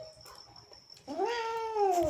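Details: Male house cat indoors, in a mood his owner calls angry: after a quiet second, one long drawn-out meow rising slightly then sliding gently downward, with rich harmonics, lasting about a second.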